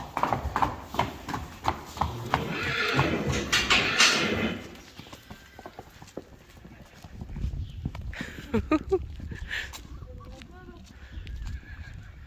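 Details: Friesian horses being moved to another pasture on a farm; a shrill, wavering whinny sounds over steady clip-clop of hooves in the first seconds, with Dutch speech nearby and more hoofbeats and short vocal bursts later.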